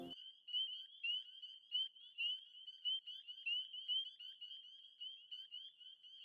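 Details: A dense chorus of spring peepers, small chorus frogs calling at a vernal pool on Cape Cod, New England, on a late-spring evening, gives high, piercing, upslurred peeps that overlap continuously.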